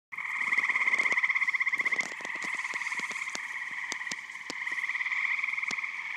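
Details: Eastern gray tree frogs in a full Michigan vernal pond in spring or summer, a dense chorus of overlapping pulsed trills holding steady with a high harmonic, plus scattered sharp clicks.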